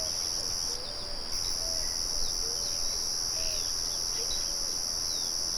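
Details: Crickets in a natural setting, singing a steady, unbroken high-pitched trill in two bright layers. A short gap breaks the upper layer. Birds add soft whistled notes throughout, and a windmill murmurs low in the background.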